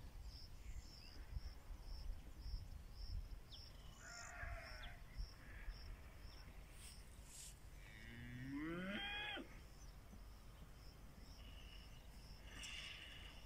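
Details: Pinzgauer cattle in South Africa on a rainy morning, on the way to summer pasture; one rising, drawn-out moo of about a second and a half near the end, over steady rain hiss and a repeated high chirping in the background.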